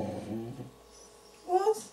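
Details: A Border Collie trying to bark on command gives a brief, whiny half-bark after a person repeatedly says the Polish command "Głos" (speak).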